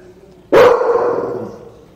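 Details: One sharp, forceful bark from American Pit Bull Terriers, two of which are present, starting abruptly after a brief quiet moment and trailing off over about a second.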